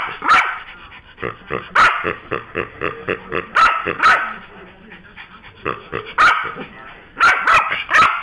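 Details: Frantic Yorkshire Terrier protesting the loss of its new noisy pig toy, sending out piercing barks in irregular pairs and runs, with low grumbling and a little speech between bursts.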